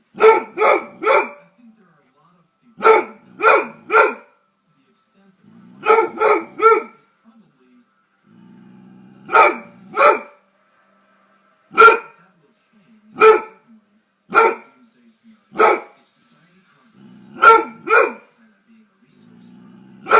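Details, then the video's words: German Shorthaired Pointer, a gun dog breed, barking in clean, harmonic bursts, mostly in quick groups of two or three, with short quiet gaps between groups and faint low rumbling in the pauses. "German Shorthaired Pointer (GSP) Dog Barking Sound Effects. Pointer Makes The Loudest Barking Noise"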